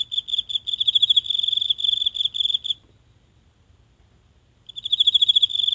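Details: Night in a small home garden, where one insect hidden in the grass calls close to a mobile phone: a long high pulsed trill lasting nearly three seconds, then two seconds of silence before the shrill chirping starts again.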